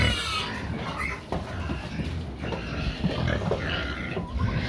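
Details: Domestic pigs being noisy as they wait for feed, giving dense grunting and short squeals from several animals at once over a steady rumble.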